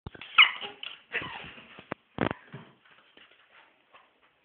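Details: A happy Chihuahua puppy indoors gives sharp, high yips and squeaky whimpers in short bursts, followed by sharp clicks and softer fading whines.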